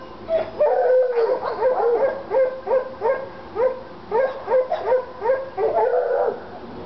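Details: Two Treeing Walker Coonhounds, Lady and Cooper, in North Carolina, excited by a coon skin, giving fast repeated bawling barks, about three a second, with overlapping voices and whiny rising tails.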